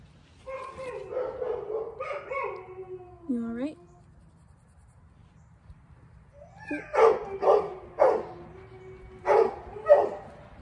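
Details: Huge black Great Dane whining in high wavering tones at first, then after a short quiet gap letting out five loud barks about once a second, with a human voice nearby.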